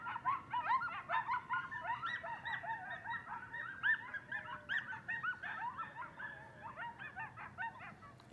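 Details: A band of coyotes howling at night outside a house: a dense, overlapping chorus of high yips, barks and wavering howls that pulse rapidly and steadily, many voices together with no other sounds standing out.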